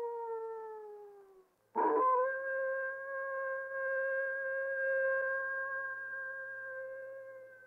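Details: A single coyote howl: a long tone drifting down and fading, a brief rough break, then a sustained even wail held for over five seconds before dying away.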